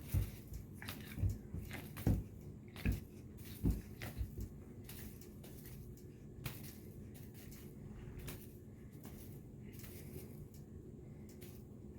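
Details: Indoor thumps, knocks and squishing noises over low background rumble, with no clear animal voice.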